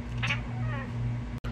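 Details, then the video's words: A brief bright meow from Cooter, the talking pet cat, followed by a softer, wavering drawn-out vocal sound, all against a constant low humming background in a room. "Cooter the talking kitty"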